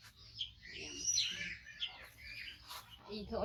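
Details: Loud, high, sliding squeals from a rescued five-month-old male baby monkey waiting for its carer to feed it. The squeals rise and fall in quick bursts, with faint speech underneath.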